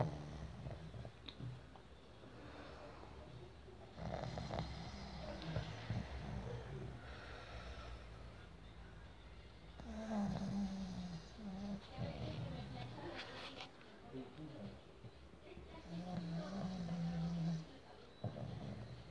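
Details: A pug snores in low, rattling rumbles with irregular breaths between them while falling asleep in its owner's hand.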